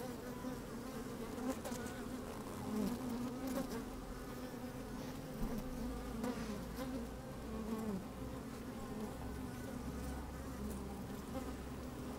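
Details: Honey bees working inside an open hive on a fine, sunny day, microphone slid down among them: a dense, steady hum centred low, with brighter buzzing swells and faint clicks of movement; low rumble of wind underneath.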